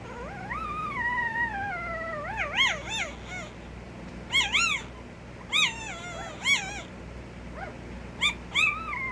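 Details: Puppy giving a drawn-out descending whine followed by bursts of short, arching whimpers and yips in quick succession, with a constant low hum behind.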